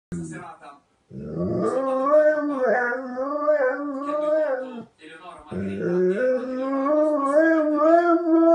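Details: Dogo Argentino calling its mother with drawn-out, wavering howls that rise after a short opening whine, break off near the fifth second, then resume with a quavering, slightly rising tone, indoors.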